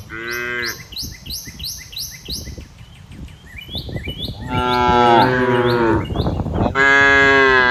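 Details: Cows in a herd grazing and relaxing in lush green fields. A clipped moo opens, then two long, loud, harmonic moos follow near the end. Repeated short, high bird chirps sound through the first few seconds.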